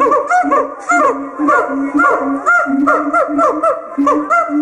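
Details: Caged siamangs singing loudly with throat-sac resonance, a duet that marks territory and bonds the pair: rapid repeated rising hoots about twice per second over a sustained low droning note.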